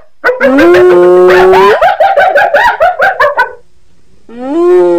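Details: Hyena call opening with a steady drawn-out tone, breaking into a quick run of choppy, laugh-like pulses, then a short pause before another rising sustained note.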